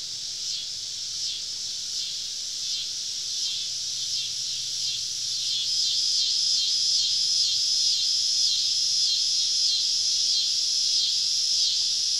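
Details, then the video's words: Cicadas all around a campsite deep in southern woods on a summer evening: a dense, continuous high buzzing chorus with a rhythmic pulsing throb, rising slightly in loudness midway, over a faint low hum. "Southern Evening Summer Cicada Symphony"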